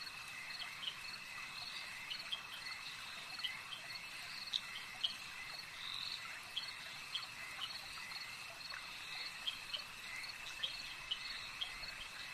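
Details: Frogs calling at a lake, dense chorus of many callers: short high chirps and clicks repeated irregularly over a steady ringing drone, with no other clear sounds.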